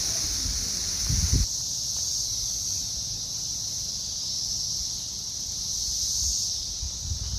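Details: Seventeen-year periodical cicadas, red-eyed and gold-winged, emerge in the bluegrass region of Lexington, Kentucky, USA, and fill the trees with a steady, high, hissing drone that never pauses.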